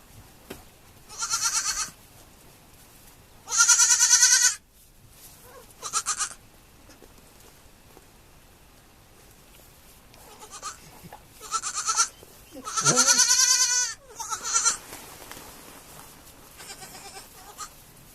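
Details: Baby goats on a farm giving tremulous, vibrating bleats. Long loud cries alternate with short, fainter ones, and a rapid cluster of overlapping bleats comes near the middle.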